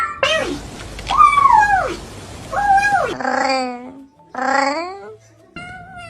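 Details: Domestic cats making a series of meows: drawn-out, arched cries that rise then fall, four separate calls of about half a second to one second each, with short pauses between them.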